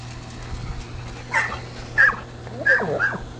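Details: Border Collie available for adoption, giving short high whining yips, three or four brief tonal cries in about two seconds over a steady low hum.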